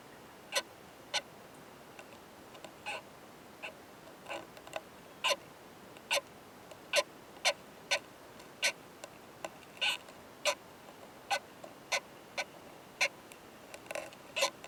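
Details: During mating in a high-mountain pine forest, a male Oomadarakokunusuto beetle beside a female gives fierce "kan kan kan" sounds: a long, fast run of crisp ticking clicks, some loud and some soft, irregularly spaced.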